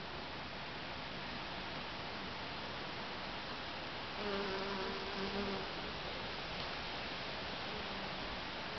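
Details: Honey bees foraging from flower to flower in a back garden by day; a steady low droning buzz with faint overtones swells for about a second and a half mid-clip over a constant hissing background.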